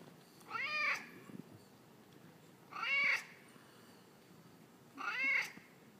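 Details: Talkative male pet cat 'talking' to its owner, giving three clear, drawn-out meows about two seconds apart, each rising then falling, in a quiet room.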